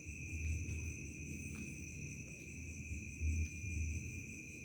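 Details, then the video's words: Crickets in a remote village at dusk turning to night, giving a steady, unbroken high trill on two even pitches over a deep rumbling background, with a brief faint whistle overhead. "SUARA JANGKRIK SENJA MENJELANG MALAM"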